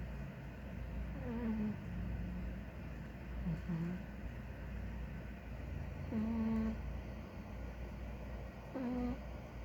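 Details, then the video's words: Big ginger domestic cat snoring while asleep: a few short, whistly, nasal tones at irregular intervals, some sliding down in pitch, over a steady low indoor hum. "Big Ginger Cat snores"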